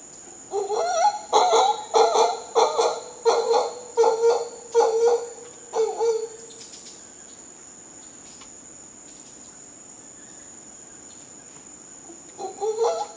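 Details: Costa Rican howler monkeys give a series of rough, rhythmic barking grunts for about six seconds. The calls stop, then resume briefly at the end, over a constant high-pitched insect drone.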